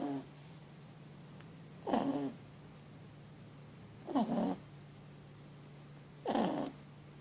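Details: Asleep after a long day, four-month-old Mochi, a Boston Terrier x French Bulldog puppy, gives three loud, even snores roughly every two seconds, each a short rattling breath with a steady low hum underneath.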